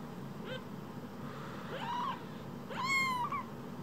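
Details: Rescued baby kitten, one of two phone-sized kittens, giving a faint short mew, then a longer wavering cry and a loud drawn-out meow near the end, over low hum.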